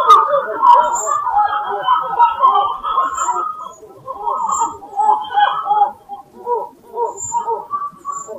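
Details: A group of black-fronted titi monkeys (Callicebus nigrifrons) in Serra da Mantiqueira, Pindamonhangaba, São Paulo, Brazil, in January 2018 gives a dense run of low, throaty, pulsing calls. Two individuals watched the recordist curiously.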